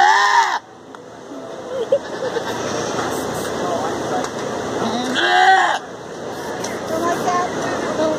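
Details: Goat screaming in short bursts: a loud harsh bleat at the start, then another wavering scream a few seconds later, with murmuring voices and background noise between.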